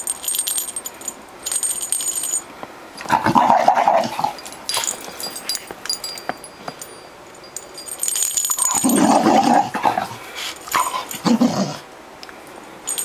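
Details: Jealous female Bull Terrier kept from her toy utters strained whining, groaning bursts in two main bouts about five seconds apart, with squeaks and handling noise around them.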